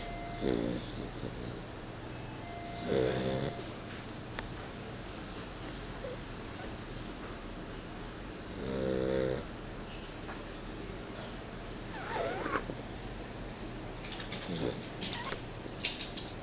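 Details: A sleeping Chow Chow snores in rough, rasping bursts that come at uneven intervals of a few seconds.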